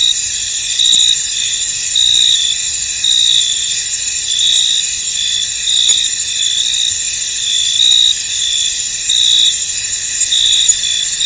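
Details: A cricket chorus rings from a misty field: layered, unbroken high trilling with faint clicks, and a brighter chirp beating through it just under once a second.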